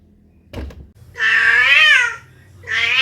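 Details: Domestic cat meowing indoors: a dull knock first, then one long drawn-out meow that rises slightly and falls, and a second meow starting at the end.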